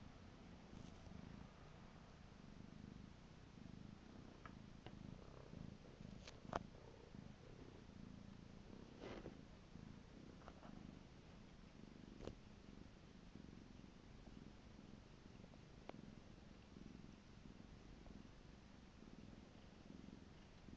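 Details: Purring from a pet cat, a soft low drone with gentle rhythmic pulses, broken by a few sharp faint clicks and taps in the background.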